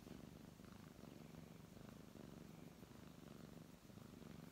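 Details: Brown tabby cat purring while being stroked indoors: a short stretch of low, even rumbling purr with slight dips in loudness and faint fur-rustling sounds.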